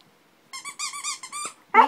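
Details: Ranger the dog, who cries when his toy turtle squeaks, gives a run of wavering high whines in short pulses, ending with a brief louder yelp.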